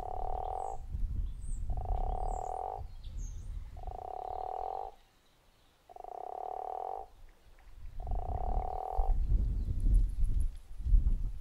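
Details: Guttural toad at Zeekoevlei uttering five buzzy, snore-like calls about two seconds apart. High bird chirps are heard at the start, and a steady low rumble runs throughout.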